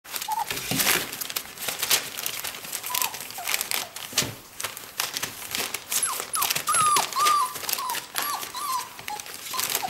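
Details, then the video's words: Four-week-old whippet puppies, hungry, whine while watching their mother eat beside the birth den; after a short early whimper, thin high wavering whines come in quick bursts through the second half over constant rustling and crinkling. "whippet puppies whine food"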